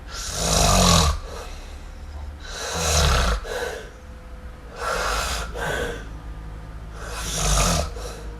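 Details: Asleep kitten MiuMiu gives loud, noisy snores, each a drawn-out rasping inhale followed by a shorter breath, repeating about every two and a half seconds indoors.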